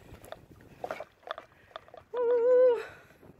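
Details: Alaskan Malamute pulling a beach bike along a river: one drawn-out, wavering howl-like note lasting under a second, after faint clicks and rustling.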